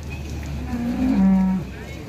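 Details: A large Limousin cow at a farm in Ampel, Boyolali, Central Java, Indonesia, below Mount Merbabu, lets out one short, low moo that swells and then slides slightly downward, over a steady low background hum.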